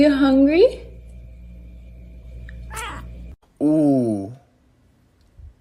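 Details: Kitten meowing indoors: a short rising-then-falling meow at the start, a long quiet pause, then a second drawn-out, wavering meow, with a faint brief sound in between.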